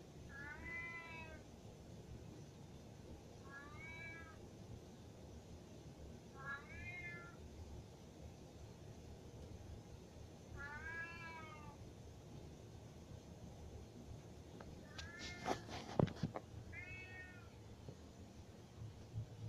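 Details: Domestic cat indoors meowing insistently because it wants to go upstairs; six harmonic, arched meows roughly every three seconds, each rising then falling, with a brief clattering knock near the end and low background rumble.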